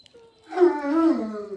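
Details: Jack Russell Terrier whimpering indoors during a live broadcast: a faint tone leads into a drawn-out, nasal whine of about a second, held steady and then sliding slightly lower as it fades.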